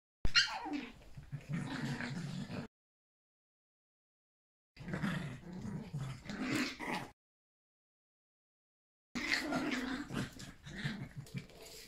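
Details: Yorkshire Terrier puppies playing with their mother indoors, running everywhere; low rumbling growls and scuffling come in three bursts separated by silent gaps.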